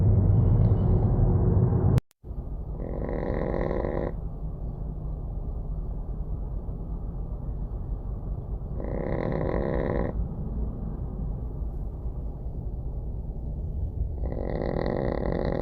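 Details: Small dog sleeping outdoors as a breeze blows, snoring rhythmically: three harsh, buzzy snores, each about a second long and spaced roughly five to six seconds apart, against a continuous low wind rumble.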